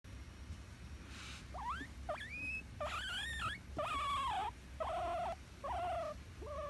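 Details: Pet guinea pig in spring; a series of rising squeaky whistles, then longer loud wheeking calls with wavering pitch, each around half a second, repeated about once a second over a low hum.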